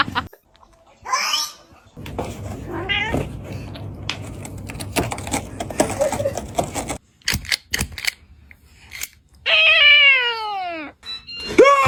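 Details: Cat giving a long, loud, harmonic meow that drops steeply in pitch, preceded by brief higher cries, clattering noises, and bursts of human laughter and screaming.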